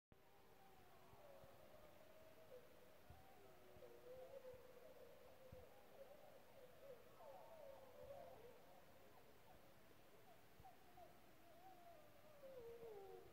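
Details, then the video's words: A distant pack of gray wolves yips and howls at night after a fresh kill, long wavering voices rising and falling over one another. "Pack of Howling Wolves at The Farm.House.Studio"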